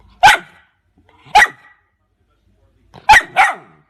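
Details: A puppy or dog barks: four sharp, clipped barks, the first two about a second apart, then a quick pair near the end, with silence between.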